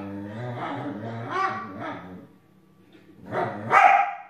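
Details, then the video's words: Jealous, grumpy Belgian Shepherd Groenendael growls at a husky over the couch: deep, harmonic grumbling rising and falling for about two seconds, a brief pause, then a loud snapping bark. "Belgian Shepherd Groenendael is growling at Husky for not sharing the couch with her"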